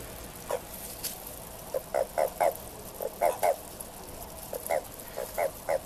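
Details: Japanese common toad calling during courtship in March 2023: short, low croaking notes given singly or in quick pairs at irregular intervals, roughly one to two per second, over a steady background hiss.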